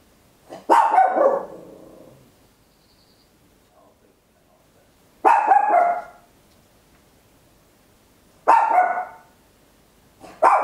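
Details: A tiny Papillon, recorded at home, gives loud, sharp barks with a bright, high-pitched ring, each bark or short volley separated by a few seconds of silence.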